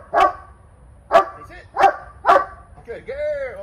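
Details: Female Cane Corso barking during a dog training session: four deep, loud barks spaced about a second apart, followed by a brief whine-like sound.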